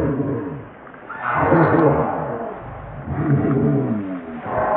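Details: Baby monkey crying loudly in two long, wavering harmonic wails that rise and fall, separated by a brief quieter pause, with faint outdoor background.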